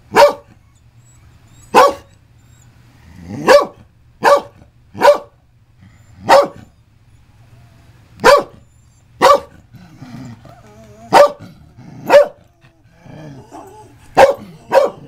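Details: Scottish Terrier, female, barking at her own recording playing back: about fourteen sharp barks in irregular bursts, some in quick pairs, with faint soft sounds in the gaps.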